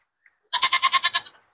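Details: Goat at a goat market in Bhiwandi, held for sale. After a brief silence comes a single loud, quavering bleat of about a second that wobbles through roughly eight rapid pulses before trailing off.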